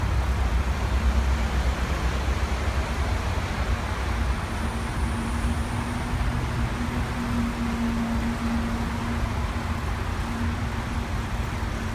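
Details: Continuous traffic rumble from passing vehicles with a low engine hum, no animal voices.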